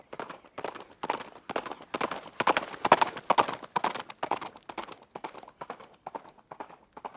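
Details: Loud, close hoofbeats of a running horse form a fast clattering rhythm, peaking in the middle, then thinning into lighter, spaced clip-clops as the animal seems to draw away.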